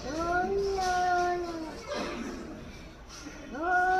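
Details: Angry cat in Hyderabad calling at another cat: a long, drawn-out, tonal wail that holds steady, then falls away, followed by a quiet gap and a new rising yowl starting near the end.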